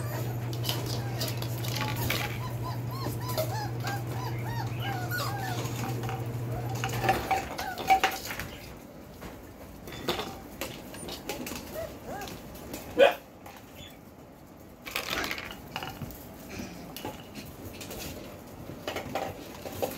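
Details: Beastie/Barron Belgian Malinois puppies aged four weeks, born 9/26/2021; soft wavering whimpers from the litter during the first seven seconds under a low hum, then clattering, dish-like knocks and handling noises with only scattered faint squeaks.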